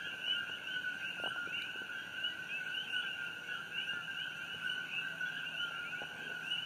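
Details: Night chorus of coqui frogs near the glowing Fissure 8 on Hawaii Island, June 27, 2018. Many frogs overlap in steady two-part calls, a low tone followed by an upswept higher chirp, with a few soft knocks early on.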